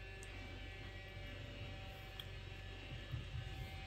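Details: Low mains hum and quiet indoor room tone with a few faint clicks, no animal call.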